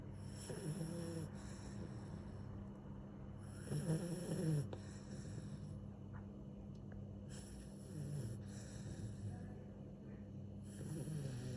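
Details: Sleeping dog snores in soft, irregular low rasps, with a stronger snorting breath near four seconds and fainter ones later, over a steady indoor hum.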